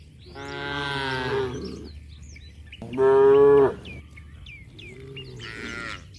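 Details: Three clear, deep moos from cattle romping in mud, each about a second long, the middle one loudest and steady, the last fading into a higher tail, with faint bird chirps between calls.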